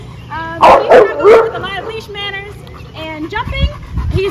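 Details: Two-year-old male black Labrador mix, brought in for board-and-train obedience work, barking at his sister: three loud, harsh barks in quick succession near the start, followed by a man talking over him indoors.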